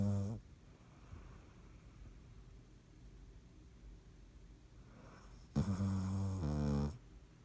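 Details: Sleeping dog named Dottie snoring: the tail of one snore at the start, a long quiet pause, then a louder two-part rumbling snore around the middle of the clip, low and buzzy.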